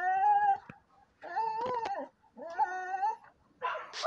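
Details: Siberian Husky arguing with three separate whiny, talking-like calls, each about a second long with a wavering pitch and a slight rise and fall, separated by short pauses, then a brief rough burst at the end.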